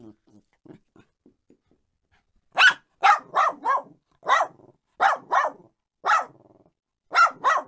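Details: Faint, soft clicks and taps open the sequence before small dogs break into loud, sharp barks, mostly in pairs spaced about a second apart, against silence.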